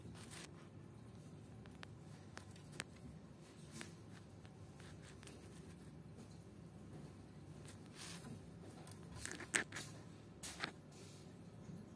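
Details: Quiet indoor room tone with scattered soft crunching, tapping and rustling sounds.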